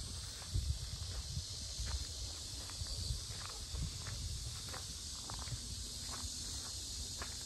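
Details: Cicadas at the Sinjeongho lotus park in Asan, Korea, a very noisy summer chorus: a steady, high, hissing drone runs throughout beneath footsteps crunching on a path.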